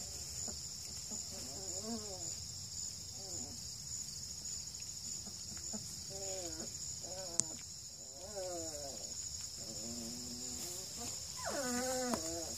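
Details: Young litter of registered Redbone Coonhound puppies at two and a half weeks, in Ontario, Canada: soft, wavering whines and short arched squeaks come every second or two, faint beneath a constant high-pitched hum.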